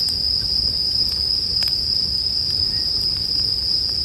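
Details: Bell crickets sing in a steady, high, ringing trill that holds an even pitch throughout, while soft crackles and pops from a campfire flicker in the background.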